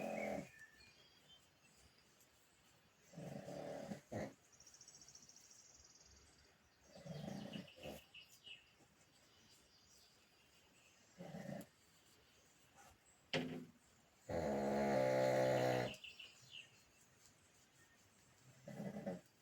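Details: Deep in sleep, a pug snores in irregular rasping bursts, most short, ending with one long, loud rattling snore of about a second and a half, followed by a final softer breath.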